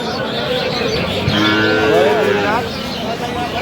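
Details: Dairy cow or calf of an improved breed at Aftabganj cattle market, Dinajpur, on 21 October 2025: one drawn-out, harmonic moo lasting about a second that swells and then fades, over a steady murmur of market crowd and voices.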